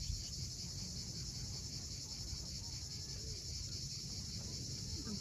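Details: Cicadas keep up a steady, shimmering high buzz at sunset on the steep coast of Cape Fiolent, Crimea. It is a continuous chorus without pauses, with waves and various birds also present.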